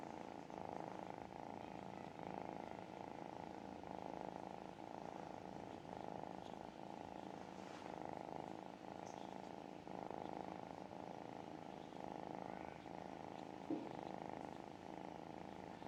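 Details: A tiny kitten being cuddled, softly purring with happiness: a quiet, steady, continuous rumbling purr throughout, with faint pulsing and a little handling noise.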